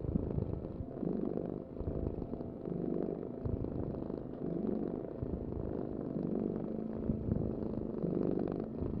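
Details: A cat purrs low and steadily, the rumble pulsing gently with its breathing over nine seconds, over a faint background hum.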